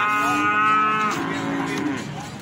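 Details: A single drawn-out moo from feeder cattle at the Plaosan cattle market, Magetan. It starts strong and holds level, then dips and fades slightly, with faint market voices behind.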